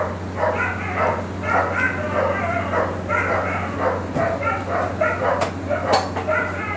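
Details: Black male Cane Corso puppy in India giving a run of short, mid-pitched yips and barks, roughly ten bursts over seven seconds at an uneven pace, over a steady low electrical hum.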